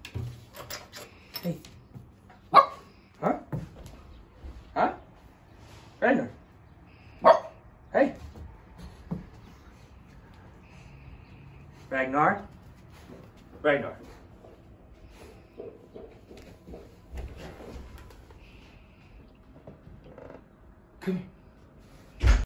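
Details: Basenji barking indoors while its owner tries to coax out a yodel: short sharp barks every one to two seconds, with a few drawn-out vocal sounds around the middle, and a person's voice calling between them.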